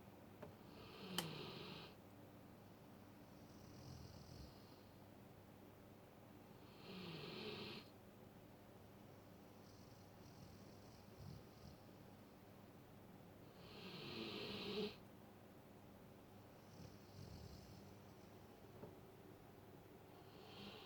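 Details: Sleeping Alaskan Malamute snoring indoors: loud, breathy hissing snores recurring about every six to seven seconds, softer inhalations between them, over a low room hum.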